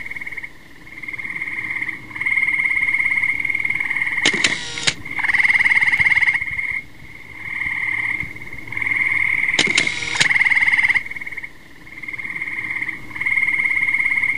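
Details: Tree frogs giving buzzy, pulsed trills in bouts of one to two seconds, separated by short pauses and repeated throughout. Two loud, rattling, noisy bursts interrupt around a third of the way in and again two-thirds through.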